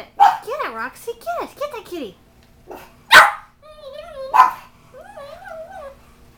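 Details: A female reverse-brindle Bugg puppy (Boston Terrier–Pug mix) freaks out at a cat statue, giving high, wavering whines and yelps broken by two sharp barks.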